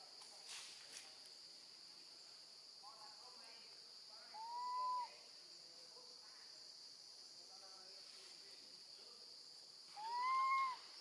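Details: Baby female monkey calling for her mother after being left alone with her grandmother; two loud, clear, arching cries of about a second each, with fainter whimpers between, over a steady high-pitched hiss like insects.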